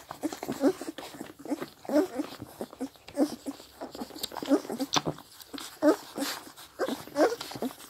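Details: Nursing Scottish Deerhound puppies, seven at 16 days of age, smack and slurp at their mother's milk. Brief squeaky grunts repeat roughly every 1.3 seconds amid continuous moist sucking clicks, with mild background noise.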